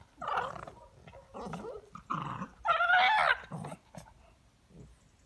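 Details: Newly arrived Chow Chow puppy named Raphael gives five short, whiny, growling yelps over about four seconds. The middle burst is the loudest and longest, with a wavering whine that rises and falls before fading into softer grumbles.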